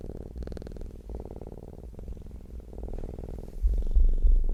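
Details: Cat purring up close: deep, fast-pulsing rumble in cycles of about a second, each broken by a short pause for breath, ending with a louder thump of movement.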